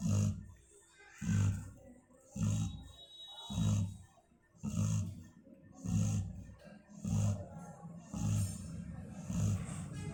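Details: Female Labrador Retriever asleep, snoring steadily: low, throaty rasps repeat about every 1.2 seconds, each rising and falling with the breath, separated by brief quiet gaps.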